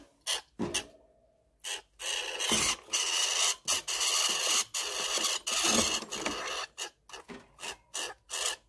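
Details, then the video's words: A squirrel gives harsh, raspy bursts of chatter, some brief and clipped, others drawn out for a second or more, in an uneven series. "هذا هو صوت السنجاب ان لم تكن قد سمعته من قبل - Voix d'écureuil"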